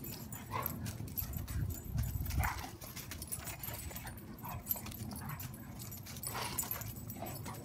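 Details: Two four-year-old female dogs, a Rhodesian Ridgeback and a Weimaraner, playing and rough-housing; low rumbling growls and scuffling with short whimpering bursts, continuous low-pitched noise throughout.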